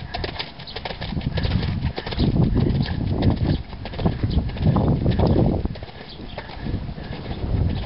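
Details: Four-year-old stallion, by Sandro Song, moving with heavy, uneven hoof thuds over a deep rumbling background that swells and fades several times.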